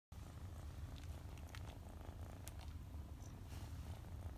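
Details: Male red Somali cat born 8 March 2020, at a pet shop, purring steadily: a low, continuous rumbling throb across the whole stretch, with a few faint clicks and light rustles above it in a quiet small room.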